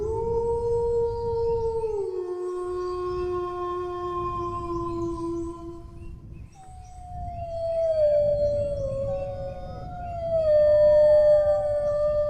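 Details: Dog howl in several phrases: a held tone that steps down in pitch after two seconds and sustains, a short gap, then higher wavering howls that slide downward and rise again, over a steady low background rumble.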